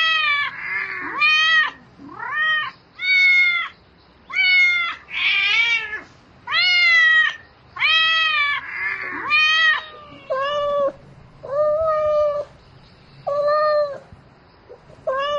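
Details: Cat meowing insistently in the night to find a mate, a rapid string of arched, repeated meows roughly every second, some rougher and drawn out, a few lower and shorter toward the end.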